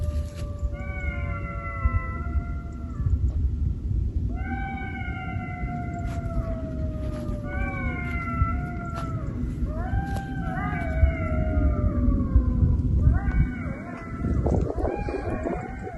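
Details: Golden jackals howl at night near an autumn lakeside campsite in long, wavering, slightly falling wails that swell into an overlapping chorus.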